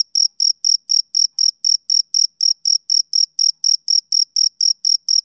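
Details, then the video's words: Steady run of shrill chirps from a male cricket, each pulse short and sharp, repeating about four times a second with nothing else audible. "Cricket Chirping Sound Effect"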